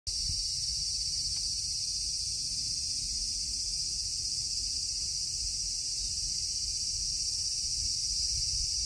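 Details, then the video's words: A cicada clinging to a tree sings a steady, shrill, high-pitched buzz that drones on without a break, recorded 16 August 2024. "【24 08 16】【自然音】【昆虫観察】木に張りつくセミ"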